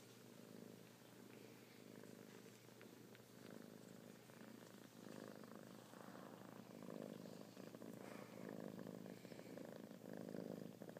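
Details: Purring kittens produce a rhythmic low rumble that grows louder toward the end, rising and falling with each breath, over a faint electrical hum.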